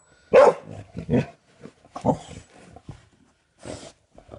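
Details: Dog barking indoors at a doorstop that a man repeatedly flicks; a few short broadband barks, the loudest near the start and a couple more spaced over four seconds, with quieter thumps and sounds between.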